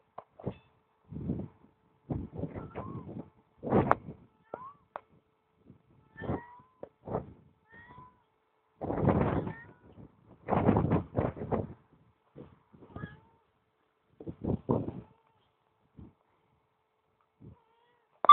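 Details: Domestic cat, a female, calling out loudly because she wants to come along with her owner but cannot keep up; a series of short, rough, broadband meows and yowls in uneven bursts over about eighteen seconds, with quiet gaps between.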